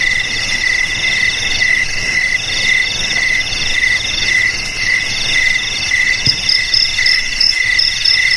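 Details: Several crickets sing at once, with continuous shrill pulsing trills. A lower chirping layer swells and fades while a higher one joins later. There is a soft, faint low rumble, and one brief knock near the end.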